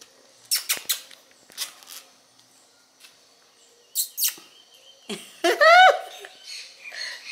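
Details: A 35-day-old male black-saddle German Shepherd puppy, recorded on 30/11/2015, gives a sharp, high, rising whine near the end, after scattered clicks and taps in a quiet room.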